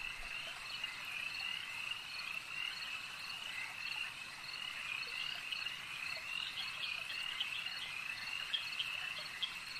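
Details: Frogs calling at a lake, many voices merging into a dense, steady high-pitched chorus of short repeated trills and chirps that runs unbroken throughout, with no other clear sounds.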